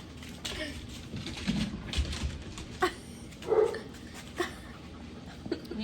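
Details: Dogs barking in the background of a home shared with nine dogs, giving a few short, sharp barks spread through the middle, with people talking close by.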